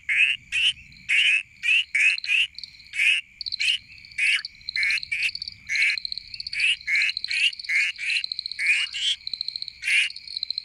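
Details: Two painted reed frogs (Hyperolius marmoratus) give rapid, piercing whistled chirps, repeated again and again, calling to attract a potential mate.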